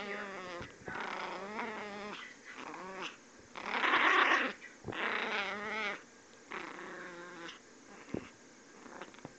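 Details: A puppy named Miss Izzy gives angry, high-pitched growls in several drawn-out bursts of one to two seconds, the harmonics wavering up and down, with short quiet gaps between them.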